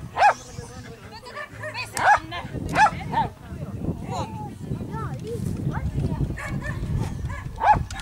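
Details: Lapponian Herder named Bisi at the Finnish youth agility championship, 2 August 2008; sharp, high barks burst out near the start, then around two, three and nearly eight seconds in, over steady people talking and crowd bustle.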